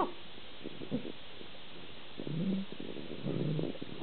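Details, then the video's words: A collie-husky mix dog gives low, rumbling growls with short grumbling moans in between during his playful "funny five minutes" burst in the afternoon. "Loki (collie x husky) growling and making funny noises"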